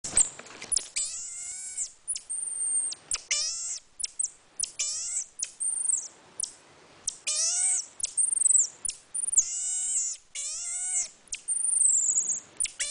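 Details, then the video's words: Pet marmoset monkey making odd noises: repeated harmonic, downward-bending cries in quick bursts, mixed with thin, very high whistles held for about a second. "the Monkey making weird noises"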